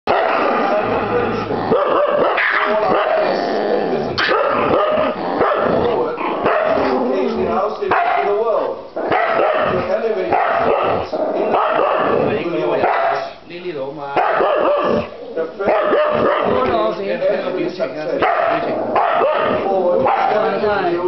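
A husky growls and yowls almost nonstop in a noisy, rough scuffle with another dog.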